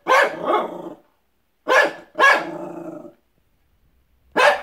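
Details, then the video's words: Benji the dog barking at dogs outside: a sharp double bark, then two more barks with a drawn-out tail, a long silence, and one final bark. "Benji barking at dogs outside"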